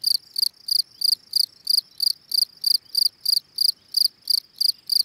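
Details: Field cricket calling song, Gryllus campestris: crisp high-pitched chirps, each a quick pulsed burst, repeated at a steady pace of about three per second against a quiet background.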